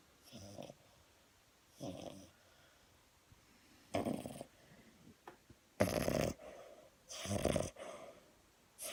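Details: French Bulldog asleep and snoring: broad rasping noisy breaths in irregular bursts about every one to two seconds, growing louder and longer toward the end.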